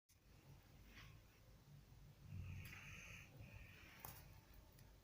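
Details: Sleeping dog snoring: a quiet, low rumbling breath drawn out over a few seconds, swelling to a louder, breathier snort near the middle before settling into a soft steady rasp, in a hushed indoor setting.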